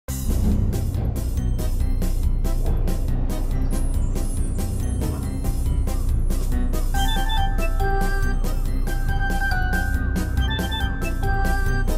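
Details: Upbeat instrumental music with steady percussion, chiming bell-like notes and sustained tones, and no animal voice.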